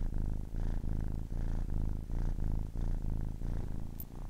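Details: Kitten aged 10 weeks purring in clear cycles, a thick low rumble swelling and pausing about every half second with each breath, one faint high click near the end.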